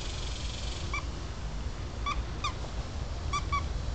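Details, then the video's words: Five-week-old Toy Schnauzer puppies from a black and silver litter, playing outdoors while learning about grass; short, high, clipped yips, some in quick pairs, about five in four seconds, over a steady low wind rumble. "Toy Schnauzers at Play"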